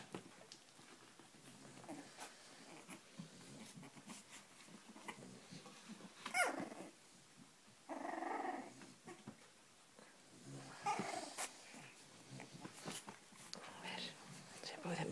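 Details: Cavalier King Charles Spaniel dogs indoors giving scattered high squeaky whines and brief low growling bursts, with louder squealing stretches around the middle and later, over soft handling noise in a small room.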